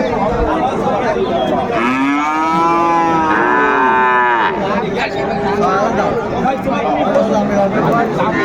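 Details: Cattle at Raniganj market in Dinajpur, Bangladesh, a livestock market where Friesian and crossbred bull calves are sold, recorded on 2 May 2024, a Thursday; two overlapping drawn-out moos with arching harmonics amid a constant crowd murmur.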